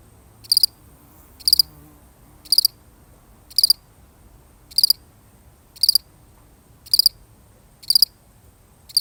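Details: A single cricket repeating trilled high chirps about once a second, nine chirps each made of several fast pulses, steady and evenly paced over a quiet background.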